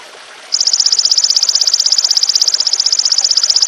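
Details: After half a second of soft hiss, a golden grasshopper, used to tutor songbirds, breaks into a high, rapid ticking buzz of even pulses that carries on without pause to the end.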